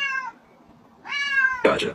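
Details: Domestic cat from a funny talking-cats compilation gives a short meow, then after a pause a longer, drawn-out meow that swells and falls, ending in a brief noisy burst.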